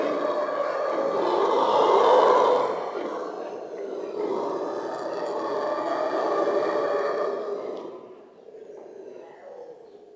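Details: Monkeys at Köln zoo raising a loud, sustained chorus of overlapping screams and wails that swell for several seconds, ease off, rise again, then drop sharply near the end.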